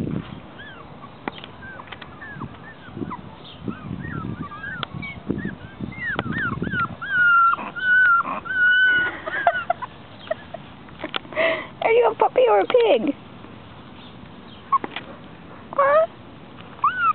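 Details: Chihuahua puppy said to sound like a pig: scattered thin squeaky whines early on, then a busier run of high, wavering squeals with short clicks and taps, over a low rumbling background.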